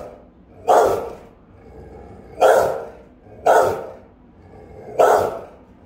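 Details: Guarding Rottweiler barking at home, recorded by a camera; four powerful, full-bodied single barks at irregular spacing, each booming and then fading, with quiet between them.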